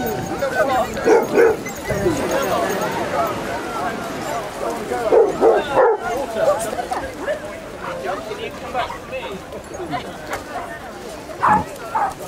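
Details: Pack of thirty Basset Hounds romping along a sunny beach at Exmouth, Devon; short harmonic barks and bays burst out near the start, around five to six seconds and again at the end, over steady chatter of people and beach noise.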